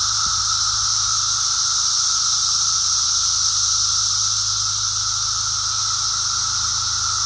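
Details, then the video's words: Walking through a Brood X emergence of periodical cicadas: a loud, seamless whining chorus from countless insects, steady in pitch, with a brief low thump at the very start. "Brood X cicada walk"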